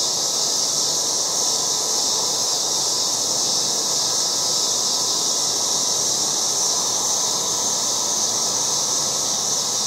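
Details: Loud cicadas calling in a yard in August, a dense, unbroken high buzzing hiss that holds steady in pitch and volume from start to finish, with no other clear sounds.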